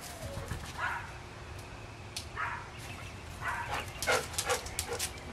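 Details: Dog during play with a soccer ball, eager to go inside, letting out short yipping barks about every second, clustering in a rapid run toward the end, against steady background noise and occasional human voice.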